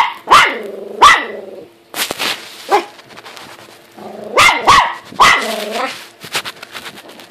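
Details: Pet dog named Buddy barks at himself in the mirror, giving loud repeated barks, some in quick pairs, a few ending in a short whine-like tail, with brief pauses between bursts.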